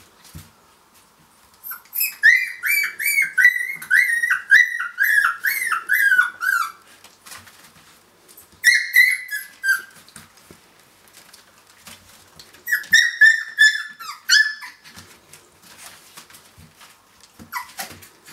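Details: Finnish Lapphund puppies, three weeks old, playing after breakfast: strings of high, wavering whines and yips in quick bursts, a long run at first, a short burst mid-way, then another run, with faint scuffling between.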